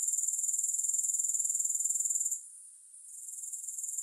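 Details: Grasshoppers stridulating with no music: a steady, very high-pitched rapid pulsing buzz that drops away sharply after about two seconds, stays faint for under a second, then returns more softly.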